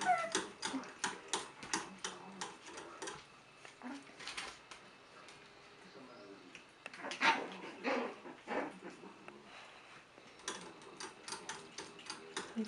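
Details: Six-week-old puppies from Sage's litter romping in their pen: scattered short whimpers and high yips among a rapid run of sharp tapping and clattering, with a human voice speaking at times.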